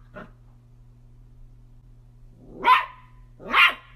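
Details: A soft, short yip from a playful miniature dachshund, then quiet, followed by two full, loud barks about a second apart against a low steady hum.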